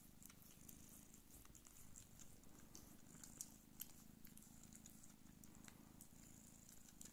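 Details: Don Sphynx mother cat Pūkė Chalisa purring while nursing her kittens indoors; a steady, low rumbling purr runs throughout, with soft clicks and small rustles and one or two brighter ticks near the middle.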